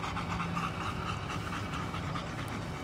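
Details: German Shepherd of a work line panting in steady, rapid, breathy bursts under a low constant rumble.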